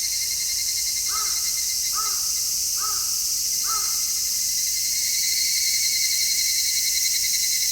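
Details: Cicadas in midsummer, recorded in stereo with an MKH-416 microphone: a dense, steady, high-pitched shrill chorus runs without pause throughout. Four harsh caws from another bird sound at regular intervals near the start.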